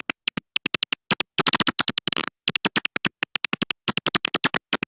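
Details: Little brown bat (Myotis lucifugus) echolocation: regular clicking search pulses broken twice by rapid, zipper-like feeding buzzes as the bat closes in on detected prey.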